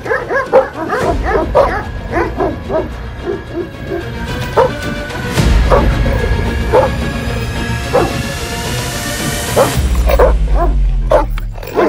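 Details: Urfa Gureğh shepherd dog barking at a man coming close to pet its head: a rapid run of short barks for about four seconds, then scattered single barks, with tense music and a loud rumbling burst.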